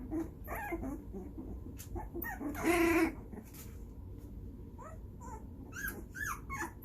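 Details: Two-and-a-half-week-old puppies playing together and nipping at each other's faces; scattered short yips and a louder squealing yelp near the middle, with rustling and scuffling throughout.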